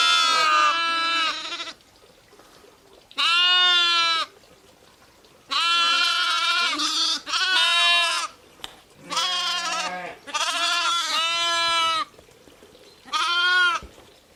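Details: Ewes and lambs giving a series of about seven loud, quavering bleats, some paired back to back, higher thin lamb-like cries mixed with lower ones, quiet gaps between.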